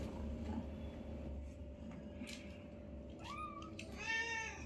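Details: Newborn kittens, five in the litter, playing with their mother indoors; two clear harmonic meows near the end, the first rising and then falling, the second slightly longer, over a steady low household hum and faint clatter.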